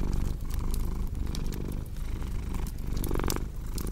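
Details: Steady rumbling purr of a cat, pulsing with its breathing, mixed with intermittent snapping and crackling of a fireplace; one brief brighter rasp near the end.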